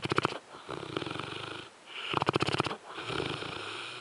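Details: Zues the French Mastiff is sleeping and snoring heavily. Strong, buzzing, fluttering rattles come with each breath, in two long loud pulses separated by brief quieter wheezy exhales.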